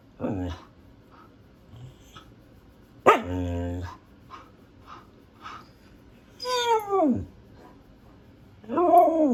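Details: Pet female Siberian husky making scattered noises: a short yelp, a harsh bark around three seconds, a high descending whine, and a rising talking cry at the close, separated by near silence.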